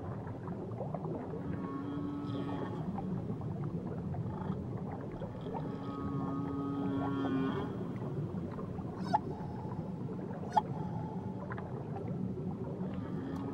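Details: Whale singing near Tahiti: a series of drawn-out tonal moans and rising and falling whistles, some overlapping, over constant low underwater rumble, with two sharp clicks in the second half.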